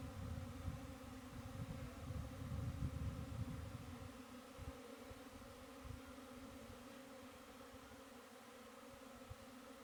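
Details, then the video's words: Steady honey bee buzzing, a continuous layered drone that never breaks, with heavy low rumbling at the start that fades after about four seconds, leaving the quieter hum alone. "honey bee"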